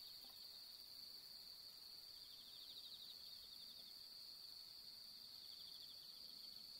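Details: Bell crickets on an autumn night of the harvest moon among pampas grass: a dense, continuous high-pitched ringing chorus, steady throughout, with faint pulsed trills underneath.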